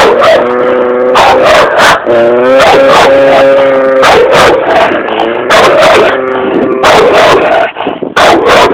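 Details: Aggressive red nose American Staffordshire Terrier giving rapid, loud, rough barks mixed with higher whining yelps, nearly continuous for several seconds before a brief break and a final burst.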